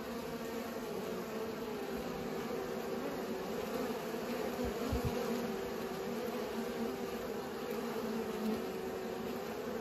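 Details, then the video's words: Bees busy pollinating make a continuous droning buzz; near the middle a couple of brief low thumps break through the even hum. "Bees pollinate"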